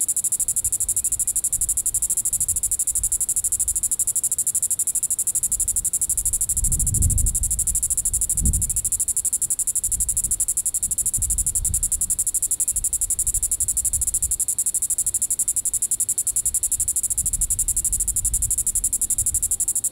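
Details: In Sand Hills State Park, Reno County, Kansas, a Diceroprocta vitripennis cicada calls in the evening of July 20, 2014, a continuous high sizzling drone with fast pulsing, plus low bumps and rumbles around seven and eight seconds.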